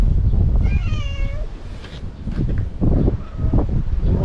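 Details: Imouto-chan, a talkative stray cat, lets out one wavering meow that falls at the end. A fainter cry follows amid strong low background rumble.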